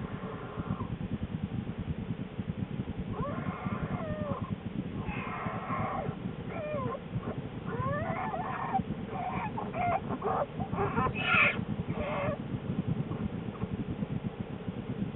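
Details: In her den on January 13, 2013, not long before giving birth to two cubs, Lily the black bear makes scattered whimpers and squeals, some wavering, over a continuous deep rumbling, with several brighter bursts near the end.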